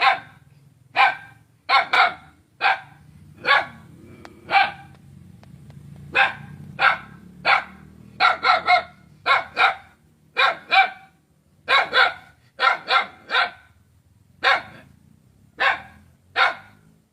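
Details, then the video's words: Dog barking in a compilation of carnivore sounds: a long run of short, sharp barks, some single and some in quick doubles or triples, about one to two each second, over a faint low rumble. "CARNIVORES SOUND CAT,TIGER,DOG,WOLF,LION,EAGLE,HYENA,CROCODILE"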